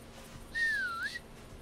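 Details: An albino roe deer gives a single thin, whistled call that dips slightly in pitch, then lifts at the end.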